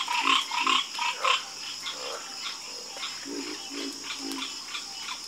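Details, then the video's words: Frog chorus croaking: short, harsh, harmonic croaks in quick clusters, loud at first and then fading into softer, scattered calls over a steady high hiss. "Calming Sound Of Harmonious Frog Croaking"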